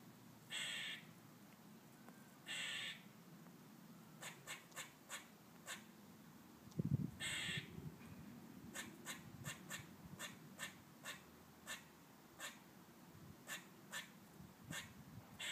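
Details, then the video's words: Squirrel squawking in a sunny garden: harsh, raspy calls in short bursts near the start and again around seven seconds, with sharp clicking ticks scattered between them over a low background hum. "Crazy sounding squirrel!"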